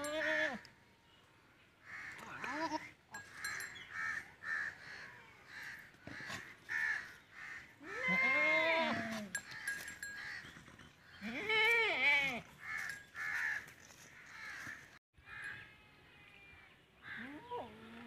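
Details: At a village in Punjab, Pakistan, during a Teddy goat's mating with a female goat, two strong, shaky bleats stand out midway amid steady bird chatter and quieter bleating at the start and end.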